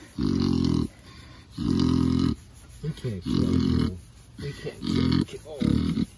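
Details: Pig falling asleep under scratches, snoring loudly. Deep, buzzy, rasping snores are repeated about five times in six seconds, each lasting half a second to a second. Softer snuffles fill the gaps.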